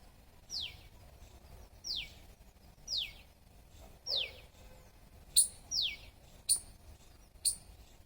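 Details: Squirrel chirping: a series of sharp, high, downward-sweeping chirps, each falling quickly in pitch, repeated roughly once a second, about seven calls, the later ones starting with a brief piercing upper note; faint background hiss.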